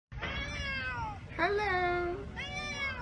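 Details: Cats brought to meet a black cat that lives at a pagoda, greeting each other: three clear, drawn-out meows in quick succession, the middle one rising then holding steady, in a quiet indoor space.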